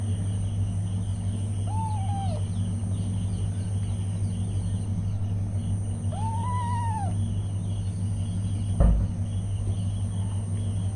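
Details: Mother cat with newborn kittens: two separate arched meows, the second longer and louder, several seconds apart, followed later by a sharp knock, all over a constant low background hum.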